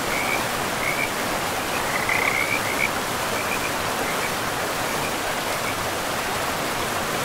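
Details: A forest river rushes loudly while frogs give scattered bursts of short, high chirps, clearest in the first few seconds and then fading into the water noise.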